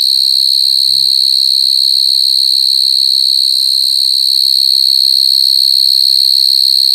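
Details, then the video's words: A steady, intense high whine from crying coconut crickets runs without pause throughout, with a brief faint low sound just after the first second. "Crying coconut crickets សត្វចង្រិតដូងយំ"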